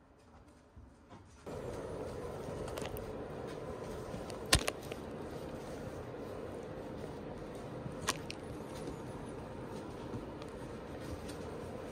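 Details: Indoor background hum with a few sharp clicks and crackles, no voices or calls standing out.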